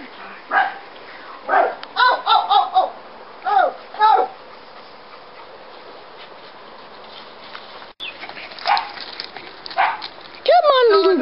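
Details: Ten-week-old Scottish Terrier puppies let out short, high-pitched yips and whimpers, clustered in quick bursts over the first four seconds, then after a quiet stretch a second run of sharper yelps building toward the end.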